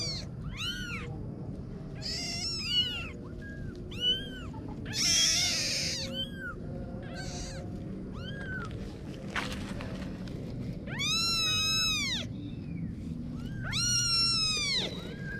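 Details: Kitten meows come in separate bright, arched cries spaced a second or two apart, some doubled, with a brief rustle midway and a low background murmur.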